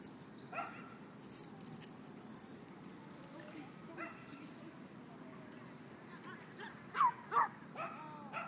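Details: Playing dogs at a dog park give scattered barks, two single ones early and then a quick louder pair near the end, with people talking faintly and steady outdoor hum behind.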